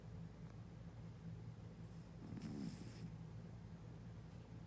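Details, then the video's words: Sleeping cat snoring, a low rumbling breath sound with one louder, rougher swelling near the middle, set against a steady low hum throughout. "Cat Snoring"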